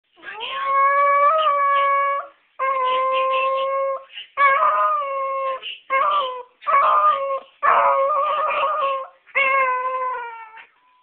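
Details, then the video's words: Chihuahua-pug mix howling when an answering machine goes off, thought to be afraid of it; long tonal howls of about one to two seconds each, seven in a row with short breaks, some wavering and yelping. "Bernie howls at the answering machine"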